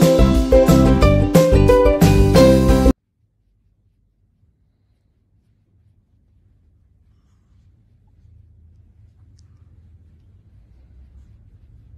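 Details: Loud guitar-led music plays for about three seconds, then cuts to near silence with only a faint low hum.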